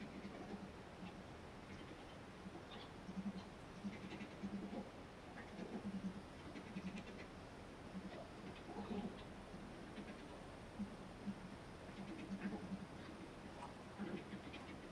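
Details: A family of about four to six Japanese badgers at 2:30 am in a backyard on hills where they dig large holes, 'talking' to each other in the dark. Low, humming grunt-like notes come in short clustered bursts, faint against steady background hiss.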